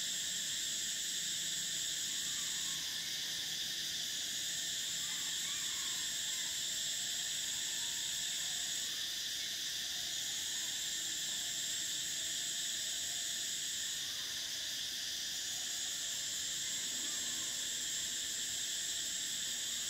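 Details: Summer cicadas produce an unbroken shrill wall of sound. The top layer of the buzz drops away and swells back roughly every six seconds over a constant high hiss.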